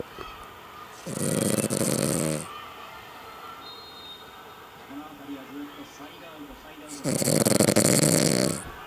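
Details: Exhausted female Cavalier King Charles Spaniel asleep after a drive with her family, giving two long, heavy, rattling snores about six seconds apart, with quiet background voices between breaths.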